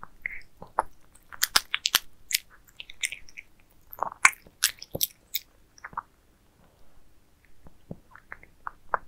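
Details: Several pet cats eating towers of minced meat indoors, with wet, smacking chewing and sharp clicky bites in dense bursts through the first half, then sparser chomps after a short lull.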